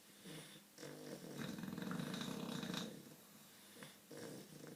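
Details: Two English Bulldogs snore very loudly with a low, rattling, pulsing rumble in a quiet room.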